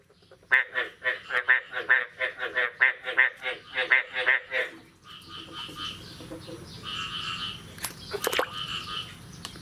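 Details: Frogs after the first rain of the year, on the morning of 9 May 2022: a loud, rapid series of about ten rasping, pulsed croaks, then quieter, softer croaks from more distant callers over a low rumble.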